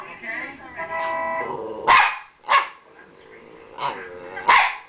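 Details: Rat Terrier named Champ giving his playful attention-seeking bark while wagging his stub tail; four sharp, loud barks at uneven intervals, with a drawn-out harmonic whine or voice sound before them.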